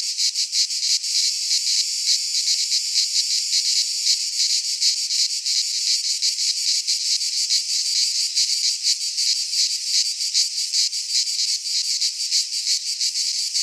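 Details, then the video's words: Cicadas singing in midsummer in a Greek pine forest: a dense, continuous high buzzing chorus, pulsing rapidly and evenly without pause, with no other sounds. "Cicadas singing in midsummer - Nature sounds from the Greek fauna - Sounds of cicadas"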